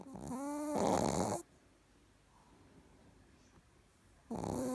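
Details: Richard the Chihuahua snores in his sleep: a whistly nasal tone turning into a harsh rasping breath, silence for about three seconds, then the next snore begins.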